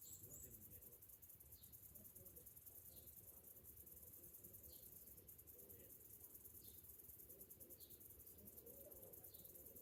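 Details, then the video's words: Morning summer cicadas keep up a shrill, fast-pulsed buzz throughout, with short distant bird chirps dotted across it and a steady low background rumble. "Morning summer cicadas sounds"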